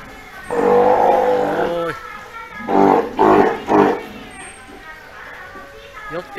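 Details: Three-month-old Steller sea lion pup at Ise Sea Paradise aquarium, Japan, cared for by its mother Hina and wary of staff. A long wavering bleat is followed by three quick, hoarse calls, then quieter background.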